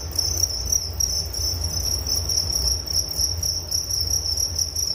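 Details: Crickets chirping as relaxing bedtime nature sound: a loud, piercing high trill with distinct rapid pulsing, higher overtones above it, and a faint low hum beneath.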